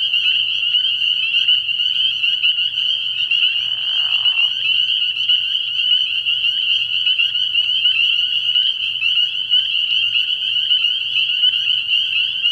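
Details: Spring peepers calling at night from a frog pond early in the year: a dense, unbroken chorus of high, shrill peeps overlapping into a steady ringing wall of sound. A brief softer, lower smear sounds near the fourth second.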